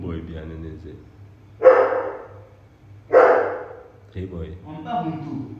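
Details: Two sharp, separate barks from a poodle about a second and a half apart, sudden loud onsets fading quickly, framed by a man talking.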